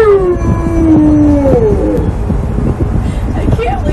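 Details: Angry Alaskan Malamute Tonka, strapped into a car seatbelt, lets out a loud, sliding howl that drops steadily in pitch over a second and a half, then softer grumbles amid road rumble.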